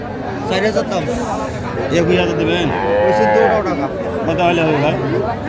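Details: Young cattle at a Noakhali livestock market in Bangladesh on 30 March 2025, where small bull and heifer calves, including Sahiwal, are being bought; one drawn-out, rising-then-falling moo near mid-clip over busy crowd chatter and men talking.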